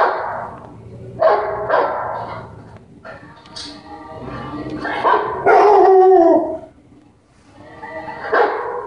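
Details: A dog gives a series of sharp, harmonic barks and a longer whining yelp while barking back at other dogs that are barking.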